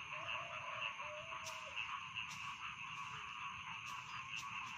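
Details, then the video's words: Rice field frogs in a dense nighttime chorus, a shrill continuous trill with evenly spaced bright notes, a few brief clicks and a faint lower warble. "Bedtime Frog Sound || Suara Katak Sawah Pengantar Tidur"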